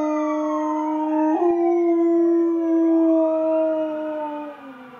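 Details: Ava, a female pet dog in a busy area, howls at a passing siren: a long, steady, mid-pitched tone, rich in overtones, that wavers slightly and sags at the end while the siren's faint sweeping wail carries on behind.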